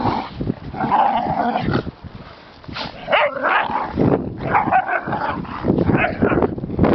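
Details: Pinscher giving uneven yips and barks broken by short pauses, with some whimpering notes between them.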